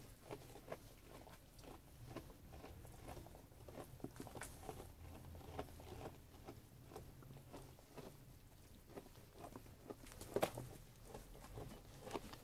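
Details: Sheep eating food: slow, scattered crunches and bites spaced unevenly, with one sharper louder snap near the end, over a faint low hum in a small enclosed room.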